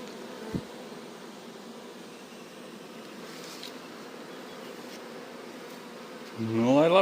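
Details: Moved honey bee swarm settling into a hive while the rest crawl in: a sustained, humming drone with a single sharp click near the start, then a man speaking over the final second.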